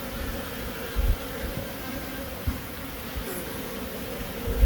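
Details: Short stretch of honey bee buzzing in Himachal Pradesh, India: a steady humming drone with a weaker higher overtone, broken by a few low thuds.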